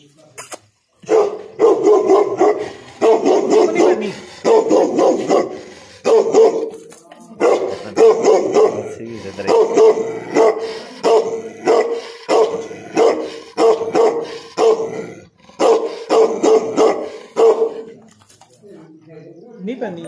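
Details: Dog barking loudly and repeatedly, sharp bursts coming roughly once a second in uneven runs for most of the recording, with brief pauses between groups and a quiet tail at the end.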